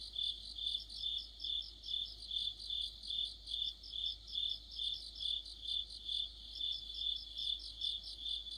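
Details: High, regular cricket chirping in mid-autumn beside a streetlamp, pulses arriving around twice each second while another insect adds fast, thin trills in bursts, background otherwise still.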